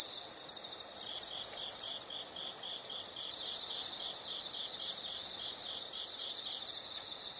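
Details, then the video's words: Insects singing as a soothing nature sound: three loud, high sustained trills of under a second each, separated by quieter fast rhythmic chirps about four per second. "the sound of insects"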